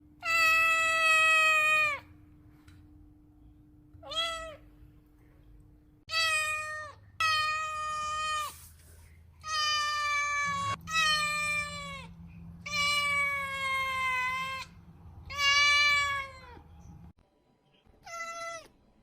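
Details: Domestic cat meowing loudly, a string of about nine drawn-out meows, each steady then dropping at the end, separated by short pauses; a faint steady hum underneath.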